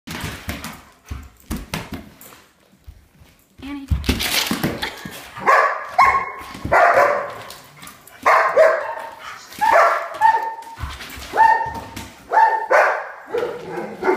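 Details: German Shepherds indoors, flipping out at a held cup of water they hate: after a few seconds of scattered clatter, loud harsh barks and yelps come in bursts about every one to two seconds, some with whining tonal edges, in a small room.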